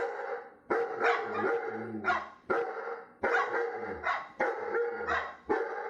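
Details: Dog barking persistently, strong harsh barks coming in rapid succession about every half second, some in pairs, with no pause.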